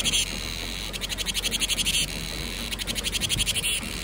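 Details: Cicada song announcing summer in Vietnam: two quick bursts of rapid, pulsating high buzzing, each about a second long, separated by a brief lull.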